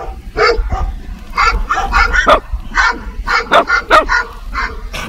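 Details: A dog gives quick, clipped barks, roughly two per second, mixed with a few higher yips, over a faint low hum.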